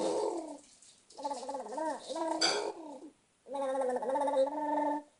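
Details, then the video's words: Pet cat named Luca making crazy noises: wavering, harmonic, gargling calls in three bursts separated by short silences. The calls bend up and down in pitch, with a brief rasping burst in the middle. "Our Luca making crazy noises"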